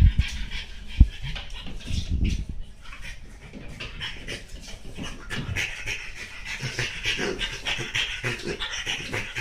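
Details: French Bulldog Monaka, worked up on a chair, panting steadily with soft hoarse breaths, plus a sharp tap early on and low rustling of movement.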